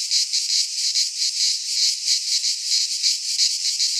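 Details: Midsummer cicada song from a pine forest in Greece, a high sizzling buzz swelling and dipping in slow throbs, about two or three per second, without other noises.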